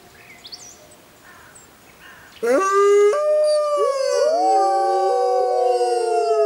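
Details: Quiet night air, then a sudden burst of howling from a pack of wild grey wolves in a jungle at full moon, several voices rising and bending around each other in a sustained chorus.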